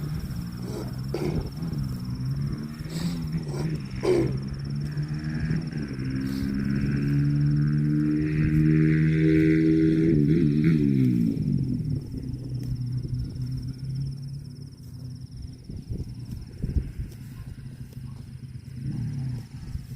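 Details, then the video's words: Cow lowing in a drawn-out, deep, harmonic moo that swells and falls over about five seconds, with rumbling low background noise, a steady high whine and scattered knocks. "COW SOUND"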